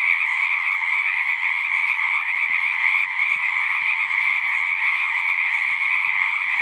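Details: Many frogs singing at a pond in a horse pasture, a dense continuous chorus of trilling, with the main band around the upper-middle pitch and a softer lower band, steady throughout with no pauses.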